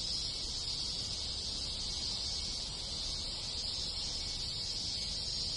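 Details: Cicadas in large numbers, joined by other insects, calling in rural Japan in summer, forming a continuous sizzling high buzz without breaks or rhythm.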